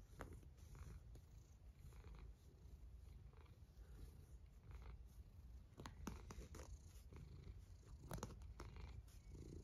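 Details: Sleeping domestic cat snoring: a steady, deep, low rumble that continues without a break, with scattered soft clicks and crackles and faint brief rustles over the top.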